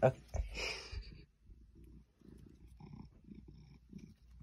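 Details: Indoor recording of an 8-year-old female Maine Coon rubbing on fake plants: a brief human voice opens, then a quiet, low purr throbs in short breath-paced bursts for the remaining three seconds.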